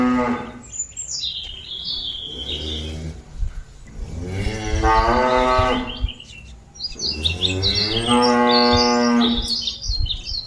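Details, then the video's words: Cattle mooing to call companions back to the pen: several rich, harmonic moos, two long loud ones near the middle and end, with low rumbling and chirping birds in the background. "Suara sapi lembu memanggil kawan nya balik ke kandang"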